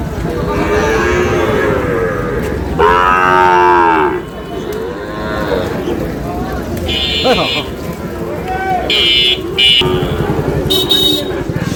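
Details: Sahiwal cattle at a market in Dhaka, Bangladesh, where a farmer is buying bull calves: a loud harmonic moo lasting about a second, with other drawn-out lowing and shrill higher calls, amid constant chatter and shouting of buyers and sellers.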